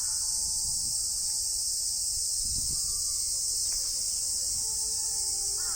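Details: Male Japanese cicadas calling from trees in summer during the mating season give a steady, high-pitched buzzing drone that never lets up.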